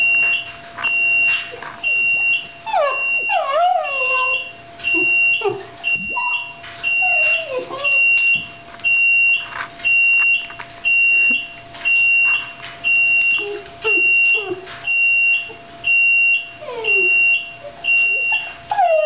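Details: Sushi, a two-year-old female Shiba Inu, cries on hearing the oven alarm: high, wavering whines and yelps sliding up and down, mixed with the alarm's steady high beeping repeated about once a second.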